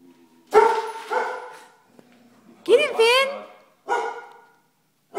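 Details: Vizsla dog barking indoors: three loud harsh barks spaced about one to one and a half seconds apart, with the middle bark rising into a whiny yelp.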